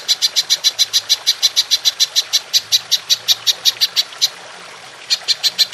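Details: Songbird training recording of a golden grasshopper (belalang emas), long-shot 'nembak panjang' style: a rapid string of shrill, clicking pulses, about five a second for four seconds, a brief silent pause, then the pulsing resumes.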